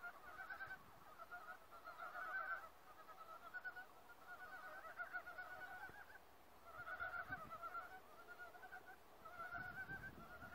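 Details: Forest frog chorus: bursts of buzzy, honking croaks lasting a second or two, rising and falling in loudness, with brief lulls between waves of calling and faint low background noise.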